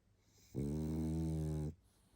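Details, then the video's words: A tired pug named Barney snoring while asleep indoors: one long, steady, low rumbling snore with a buzzy, harmonic-rich tone lasting just over a second, surrounded by quiet room hiss. "Мопс спит и храпит😴Уставший Барни"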